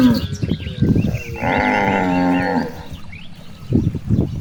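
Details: One steady drawn-out moo of about a second from cows grazing in a rice field, framed by loud rustling and munching noises before and after.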